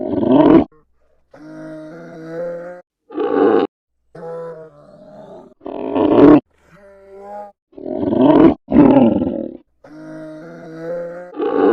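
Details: Polar bear giving harsh, broadband roaring growls in short bursts, alternating with steadier, tonal moaning notes at a lower level, separated by abrupt silent gaps.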